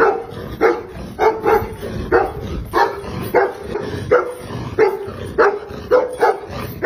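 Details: Female Tibetan Mastiff of pure aboriginal breeding giving deep, hoarse barks, often in pairs, with short gaps between bursts, about a hundred barks a minute.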